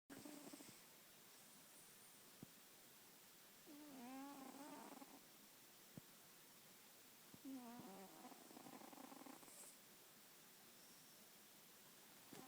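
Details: Sleeping pet cat snoring indoors: soft, raspy, tonal breaths with wavering pitch, each lasting about a second, two clear snores roughly four seconds apart over a quiet background.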